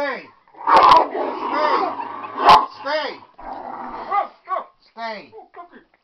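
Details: Dog having its nails cut, giving a run of short arching yelps and whines that rise and fall in pitch, with a person talking over the start and a couple of sharp clicks.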